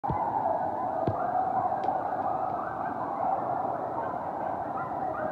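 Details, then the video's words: Coyote pack howling close in a backyard at night, a continuous blended chorus of wavering mid-pitched howls and yips without pause, with faint clicks in the background. "Coyote Pack Howling CLOSE in Backyard (Coyote Sounds)"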